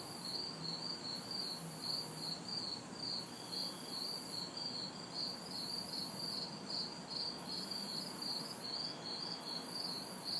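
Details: Crickets and cicadas in a backyard on a hot, humid summer night in the city: steady rapid high chirps pulse without pause, while a higher shimmering buzz swells and fades in long bursts over faint distant traffic hum.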